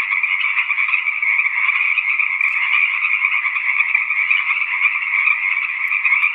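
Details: Tree frogs in a dense, unbroken chorus of overlapping trills, a steady high buzzing wall of sound with no pauses across the whole stretch and nothing else audible.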